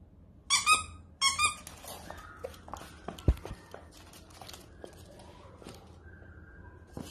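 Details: A Dachshund puppy gives two short, high, squeaky whines, followed by scattered soft indoor knocks and clicks.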